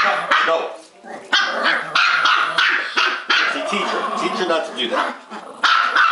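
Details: Two small pet dogs, a Bichon Poo and a Maltipoo, barking non-stop indoors during rough play; irregular sharp barks and growly yaps overlap with a woman's scolding voice.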